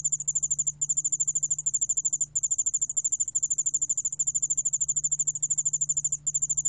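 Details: Yeoul allak ground cricket, from a 2020 National Institute of Biological Resources recording, producing an insistent, very high buzzing trill of quick regular pulses with few breaks, accompanied by a constant faint low-pitched hum.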